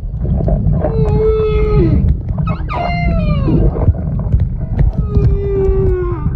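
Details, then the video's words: Snoring humpback whale at Moorea, September 2023, gives a series of tonal, harmonic moans: level then falling notes, a brief rising sweep in between, and a final sustained moan, all over a steady low rumble. "Snoring Humpback Whale in Moorea Sep 2023"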